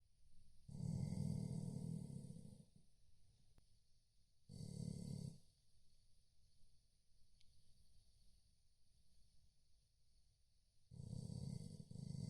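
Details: Chow Chow dog asleep and snoring: three rough, low rumbling snores of one to two seconds each, separated by quiet breathing, in a calm indoor setting.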